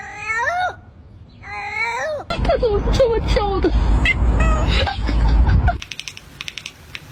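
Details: A domestic cat gives two quick, high meows that fall in pitch. They are followed by several seconds of rumbling, rustling handling noise with faint squeaks, then soft tapping.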